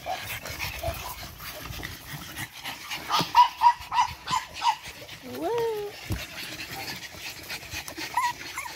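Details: Energetic 8-week-old Boston Terrier puppies from one litter. A quick series of short, high whimpering yelps comes midway, followed by a longer looping squeal, with panting, rustling and a woman's voice throughout.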